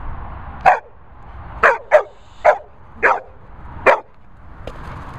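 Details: Labrador Retriever barking outdoors in Worcestershire countryside: six short sharp barks spaced irregularly about half a second to a second apart, each a brief broadband burst, followed by a faint seventh yelp, with a low background rumble.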